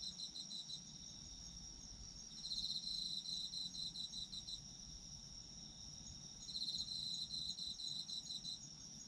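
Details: Autumn insects at night for sleep listening: a steady high buzzing drone with a louder pulsed chirping trill swelling in around two and a half seconds, fading, then returning near six and a half seconds.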